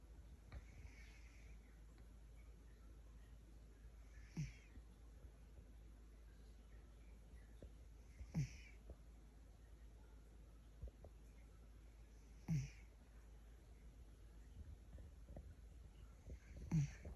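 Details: A Maine Coon cat snores in low, rough bursts roughly every four seconds, loud enough to wake himself up.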